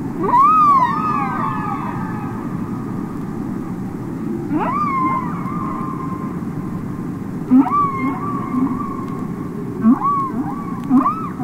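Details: Underwater humpback whale song from a record release: a long swooping moan followed by shorter upswept cries every few seconds, each with stacked harmonics, set against steady ocean hiss.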